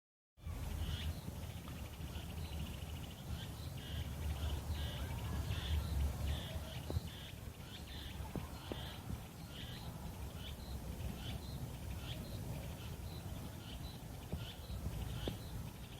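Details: Chorus of Meimuna opalifera cicadas from a wooded hill near a home in South Korea on 24 July 2016: pulsed, buzzy phrases repeat steadily throughout, layered over a low rumble of background noise.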